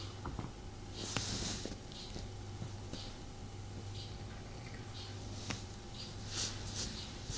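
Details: Snuggling indoors, the cat Tommy keeps up a continuous deep purr for most of the stretch, a droning low hum that stops near the end, accompanied by bursts of fur rustling and small clicks.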